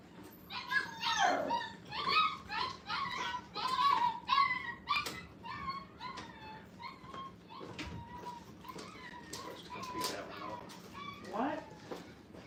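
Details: Puppies five weeks old, placed in a kennel playpen for their first time, produce a busy chorus of overlapping whines and sharp yelps, rising and falling in bursts, indoors with a low room hum beneath.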